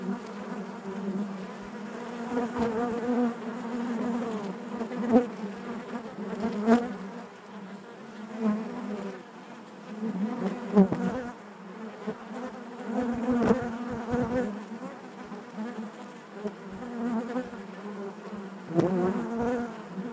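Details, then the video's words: Honey bees buzzing inside their hive: a dense, steady low hum with stacked harmonics, swelling and fading in waves, with occasional sharper close wingbeat bursts and brief clicks as bees move past. "bees therapy hive natural buzzing sound"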